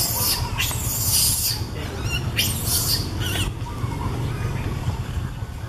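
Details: In Cambodia, a baby monkey calls out to its mother up in a tree with harsh, high squealing cries in short bursts.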